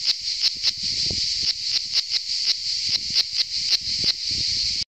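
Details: Cicada singing on Saint Eutrope hill in Orange, Vaucluse, France, on 15 July 2018: a loud, continuous high-pitched buzzing drone, pulsed with brief regular swells about three times per second, ending abruptly.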